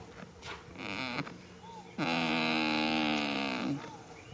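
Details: Sleeping goat in a field on the first day of spring, snoring: a brief rough breath, then one long buzzy, steady, harmonic exhalation lasting nearly two seconds, ending with a soft rising squeak.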